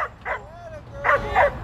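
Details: Female Border Collie on her second sheep-herding run, with lighter sheep, barking: several short sharp barks in two bursts separated by a thin whining tone, wind and outdoor background audible.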